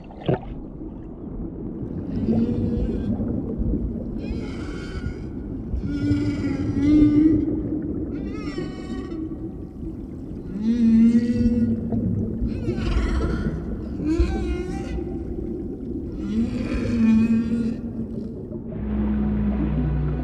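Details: Humpback whale song heard while a mother stays close beside her calf: long moaning and wavering tonal units, some sliding and harmonic-rich, repeated every few seconds over low rumbling water noise.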